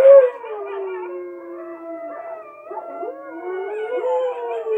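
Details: Richie, a Siberian husky, joins wolf howls from a television: drawn-out mournful tones that dip low, hold, then climb again, layered with a second howling voice.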